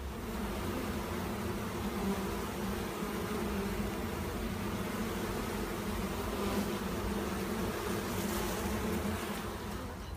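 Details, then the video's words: Honey bees swarming at a monastery bee yard: a constant, even buzzing drone of many wings, steady in loudness for the whole stretch, with faint hissy bursts late on. "Пчелиный рой на монастырской пасеке"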